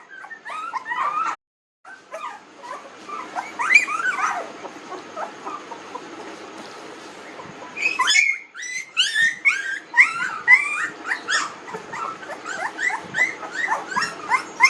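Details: Squealing from 19-day-old newborn puppies: a few whines, a brief silent break, a softer stretch, then a dense burst of rapid high yelps and whimpers from several pups at once.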